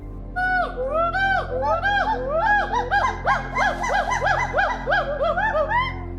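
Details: Hoolock gibbons in trees in forest beside a highway in Kaziranga National Park, Assam, India, give loud, far-carrying, rising-and-falling whooping calls in quick, overlapping series.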